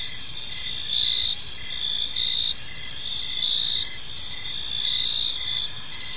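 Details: Park crickets in the evening produce a steady high-pitched chirping chorus, rhythmic short chirps repeating over a continuous shrill ringing, with soft low background noise.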